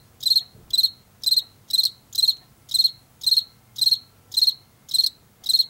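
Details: Field cricket from Washington, a late summer and fall singer of fields and forest edges, repeating short buzzy chirps roughly twice a second, evenly spaced, over a quiet background.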